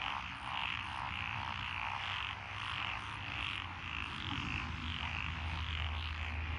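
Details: Frogs calling from lotus paddy fields along a country lane in Echizen, Fukui Prefecture, June 2021. A steady wash of overlapping croaks swells and fades, with a low rumble underneath.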